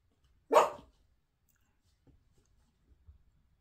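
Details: Playing Toy Poodle pups indoors with enrichment toys and a balance board: one sharp, loud bark rings out, followed by near silence and faint soft rustling.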